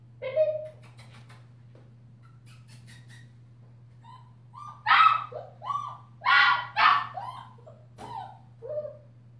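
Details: Five-week-old female German Shepherd puppy with a purple collar, from a litter by Ibon Jipo-Me out of Witch von Wendelin, giving a series of short tonal whines and louder harsh yelps in scattered bursts over a steady low hum.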